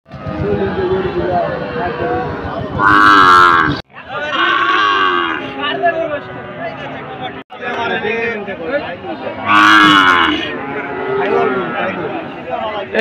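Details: Cattle at a livestock market in Bilhamla haat, Buriganj, Shibganj, Bogura, Bangladesh, on 19 August 2024, where cows and goats are bought and sold; two loud drawn-out harmonic moos around three and ten seconds amid crowd chatter and speech.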